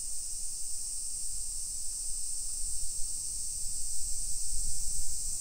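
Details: In a residential area of Nisshin near Nagoya, Japan, on a July 2021 afternoon, summer cicadas keep up a steady high buzzing wall of sound while rhythmic low footsteps and rumble run underneath.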